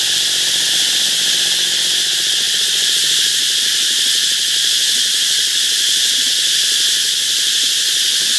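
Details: Cicadas along a canal in the Mekong Delta: a loud, unbroken, hissing buzz that stays steady and high-pitched for the whole stretch, with no pauses or change in rhythm.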